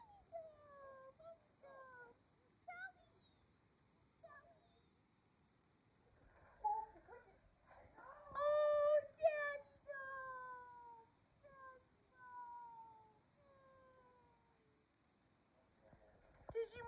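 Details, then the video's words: Two pet dogs, Kumo the Keeshond and Sully the Boston Terrier, greet their owners indoors on their return from vacation. They give a run of high, drawn-out whines that slide downward, repeated in quick succession, with a brief louder burst midway. "Our Dogs Are SO Excited That We’re Home From Vacation!"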